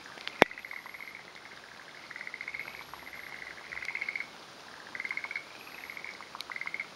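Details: A male forest green tree frog (Rhacophorus arboreus), perched on a branch awaiting a female in mountains of Hōfu, Yamaguchi, Japan, on a late-May morning, gives short trains of quick chattering clucks every second or two; faint insect hum, a sharp knock.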